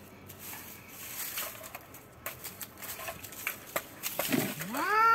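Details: Two cats, one white and one black, fighting; after several seconds of faint scuffling clicks and rustles, a loud rising, strongly harmonic yowl swells at the very end.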